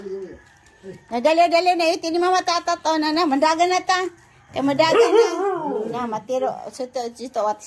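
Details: Dogs, among them a little female named SoRA, howling early in the morning after being woken by a siren alarm; a long wavering tonal howl lasts about three seconds, then after a pause a rising-and-falling howl trails into shorter wavering notes.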